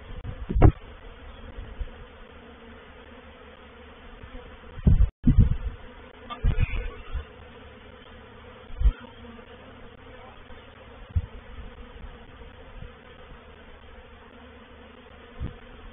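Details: Honey bees of a reproductive swarm moving into a bait hive at Painted Peacock Manor, 04/07/21; soft background drone with repeated loud bursts of bees buzzing past close, clustered around five to nine seconds.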